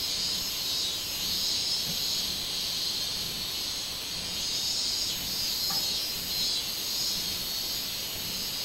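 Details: Summer minmin cicada recorded 24 July 2016: high droning buzz rising and falling in rolling pulses, with a faint short note briefly heard midway.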